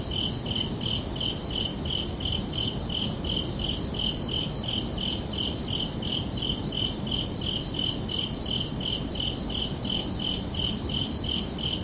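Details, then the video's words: Summer-evening crickets chirping at night, a long unbroken series of quick, high, ringing pulses, about three per second and very even in rhythm, set against continuous low ambient noise. "Calming Cricket Sounds for Relaxation"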